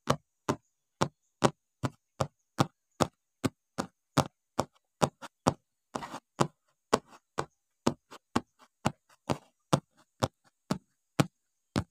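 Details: Sharp wooden knocks repeat about twice a second, like steady chopping on a board, with a brief rustle midway and no animal voice.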